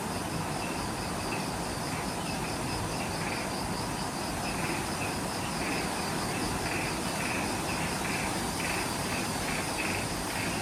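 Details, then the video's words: Insects calling in the jungle at twilight just after sunset at the Mount Omoto trailhead, Ishigaki Island, Okinawa, Japan; layered pulsing chirps repeat steadily over a continuous high hiss, with broad low rumbling noise beneath. "Relaxing Jungle Ambience with Insects"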